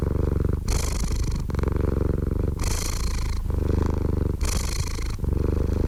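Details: Cat purr heard up close, a low vibrating rumble whose alternating breathy and muffled phases repeat about every two seconds, three breathy surges in a row, even loudness and nothing else audible.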